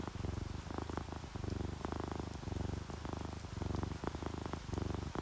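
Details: Sleeping ginger tabby and calico house cats purr in contentment, a deep throbbing rumble pulsing in steady inhale-exhale bursts, over a background of gentle falling rain and raindrops.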